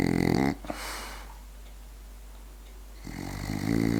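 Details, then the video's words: Sleeping French Bulldog snoring indoors: a loud, rasping, harmonic snore in the first half second, a long quiet gap of soft breathing, then another loud rattling snore building from about three seconds. "french bulldog snoring"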